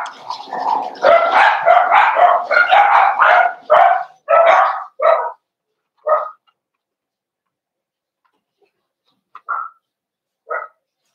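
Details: Cavalier King Charles Spaniels in an indoor puppy pen during a socialization session, 12/13/22, as puppies meet bigger dogs: a rapid run of sharp, harmonic barks for about five seconds, then slowing to single, spaced-out barks with silence between.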